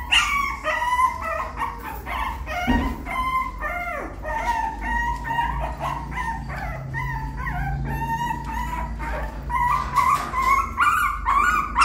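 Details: Puppy learning to climb a little step into the nest, giving rapid high whimpers and yips about twice a second, with many overlapping squeaky cries at a steady pace and low background rumble throughout.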